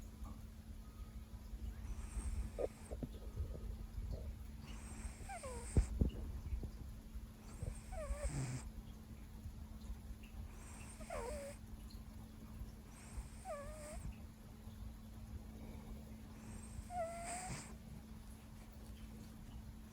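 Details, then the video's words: Siberian cat Leo snoozing after a long workday, well into a five-hour catnap: breathy snores recur every two to three seconds, each carrying a squeaky whistled tone that slides downward, with a constant low electrical hum behind. "LOUD Snoring, Grunts"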